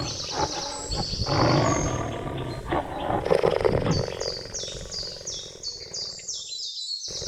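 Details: Rasping, rhythmically pulsed cheetah vocalization, loudest in the first half, fading into a background of high-pitched twittering birds and insect chirps, with a brief quiet gap near the end.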